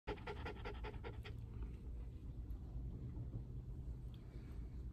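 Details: A Mameshiba, afraid and restless during a car ride and trying to settle on its owner's lap, pants in quick rhythmic breathy bursts for about a second before the steady low rumble of the moving car takes over.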